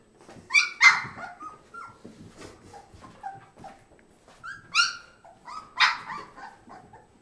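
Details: Puppies playing, recorded 30 April 2008: scattered high yips, squeaky whines and short barks in irregular bursts, with quiet scuffling between them.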